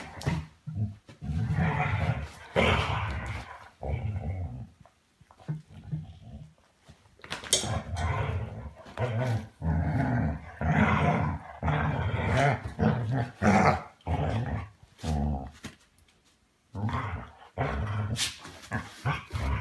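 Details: A 6-year-old Weimaraner plays with a 1-year-old Vizsla in a goodnight game, giving deep, rumbling play growls and grumbles that rise and fall in rough bursts.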